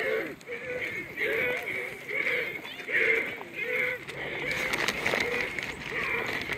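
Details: A crowd of deer being fed at Lagoon Deer Park, Ohio, gives overlapping nasal, quavering bleats and barks, rising and falling almost without pause, while a person talks briefly amid the chorus.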